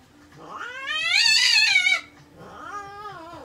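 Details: American Shorthair cat crying during veterinary treatment: a long, loud, strained wail rising and bending over two seconds, then a shorter, softer wavering meow.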